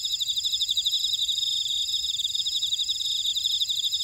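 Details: Field insects in a buckwheat field of Ora-dong, Jeju, South Korea, producing a thick high chorus: rapid pulsed chirps over constant ringing trills, evenly loud throughout.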